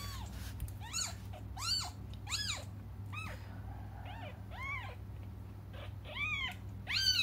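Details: Kittens crying while waiting for their mother to come back: high, arched mews rising then falling, repeated roughly once a second in a steady run, over a low constant hum.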